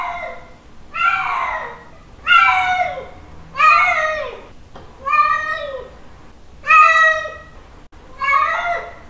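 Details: Male cat giving mating calls to a female: seven loud, wailing meows, roughly one every 1.3 seconds, each starting high and sliding downward in a drawn-out, nasal whine, in a quiet indoor setting.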